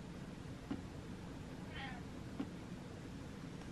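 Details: Butters the cat gives one short, faint meow with a slightly falling, harmonic tone near the middle. A low indoor hum runs throughout, with two soft knocks before and after.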